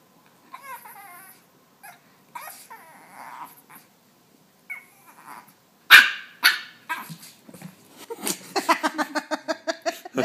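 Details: Ding Ding, a pet puppy, vocalising indoors: short harmonic squeaks and whiny yips at first, then a sharp loud burst near the middle, followed by rapid, rhythmic pulsed grunting in quick runs toward the end.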